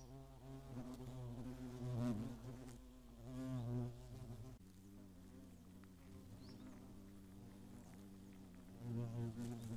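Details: Hornets on the attack in the Eifel during 2017, when at least ten nests were found: rich, low droning buzzes rising and falling in pitch as insects fly past, with a steady hum throughout.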